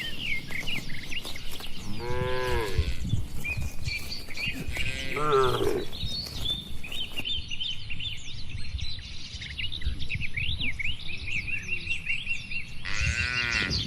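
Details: Cattle inside a farm barn, described as healthy, tame and active, give three drawn-out, deep harmonic moos near two, five and thirteen seconds, while small birds chirp and twitter constantly overhead above a low barn rumble.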